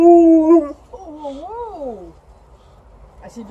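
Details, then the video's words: Liza, a female Alaskan Malamute, happily howling as her people come back: a strong steady tone that dips, then a wavering, rising-and-falling howl sliding down at the end, with quiet background noise. "Happy Alaskan Malamute is howling when her people came back"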